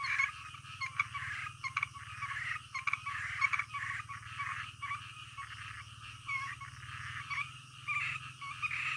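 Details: A midnight chorus of frogs, many rasping croaks overlapping in rapid uneven bursts, some calls louder and closer, with a faint low hum beneath.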